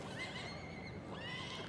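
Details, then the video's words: Welsh Cob yearling filly giving a faint, thin whinny: high harmonic tones held steady through the clip, quiet against a busy background murmur. "Cobiau Cymreig - Eboles Blwydd | Welsh Cobs - Yearling Filly"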